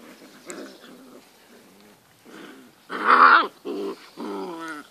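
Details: Alaskan Malamute puppies, seven weeks old, playing indoors: short bursts of harmonic whining and growling yelps, loudest around the third second, separated by brief pauses, with a few quiet German words spoken.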